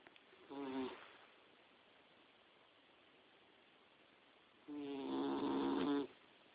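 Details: Boxer puppy Dixie, around four to five months, dozing in bed: a short raspy snore, then after a long silence a louder, longer rattling snore of over a second.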